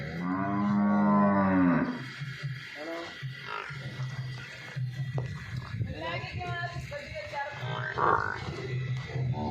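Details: Nili-Ravi buffalo offered for sale in Punjab, Pakistan: one long, deep, harmonic-rich moan lasting about two seconds, then men talking over a steady low hum, with a few faint shorter animal sounds later.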